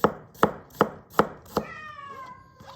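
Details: House cat giving a single falling meow right after a run of five evenly spaced knife chops through a carrot on a board; the meow glides downward and fades.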